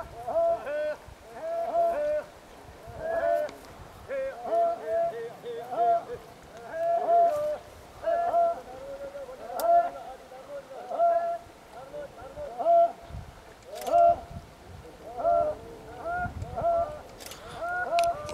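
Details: Kharai camels of Jangi village in Bhachau taluka, Kutch, Gujarat, a herd of about 500 that crosses the creek to mangroves; a steady series of short, wavering, harmonic calls pulses about every second, with faint background rustle.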